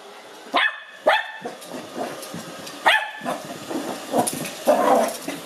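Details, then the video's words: Five-month-old Lhasa Apso puppy named Cookie, meeting a robot vacuum for the first time, lets out sharp high barks, two quick ones then another, followed by softer grumbling yaps over the vacuum's constant whirr. "Lhasa Apso Puppy Meets Robot Vacuum for the First Time"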